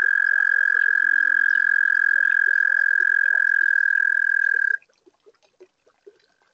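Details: A toad sings on a warm spring night at a garden pond: a loud, even, high-pitched trill holds steady for nearly five seconds, then stops abruptly, leaving soft scattered clicks and chirps from other pond callers.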